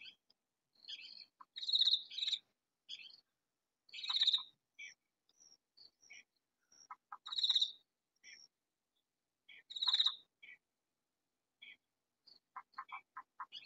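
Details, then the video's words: Katydid calling loudly from hiding in a vegetable garden: short harsh raspy bursts, each about half a second, repeated every two to three seconds, with scattered fainter chirps and clicks between them. "Katydid calling in vegetable garden"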